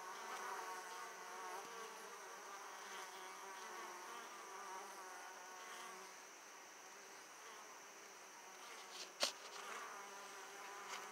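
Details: Italian honey bees returning to an opened hive carrying lots of pollen produce a continuous layered buzzing hum, with a sharp click or tap near the end.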